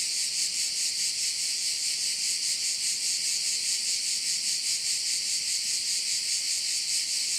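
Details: Crickets at a bay on the Croatian island of Korčula produce a constant high-pitched, finely pulsing drone, even and uninterrupted from start to finish.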